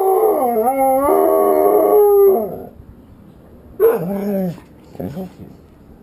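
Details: Domestic Dalmatian upset that the ice cream truck drives past without stopping; a sustained, wavering howl for about two seconds, followed after a pause by two shorter falling whine-howls.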